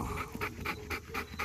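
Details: Male Belgian Malinois, close up, eating a raw whole chicken after a good workout, pants in quick rhythmic breaths. Six breathy bursts come about every quarter second, with a low background hum.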